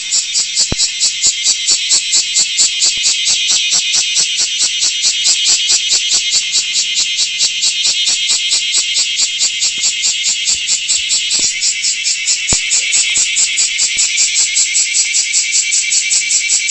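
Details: Loud, continuous song of a large brown cicada (Graptopsaltria nigrofuscata): a hissing, frying buzz with a rapid, regular pulsing of a little over two beats per second throughout, and a brief shift in tone partway through.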